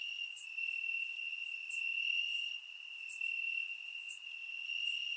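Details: Grass crickets chirping on a warm summer night in Bulgaria, captured with a surround microphone; a shrill continuous trill holds steady, joined by occasional sharper high chirps from other insects.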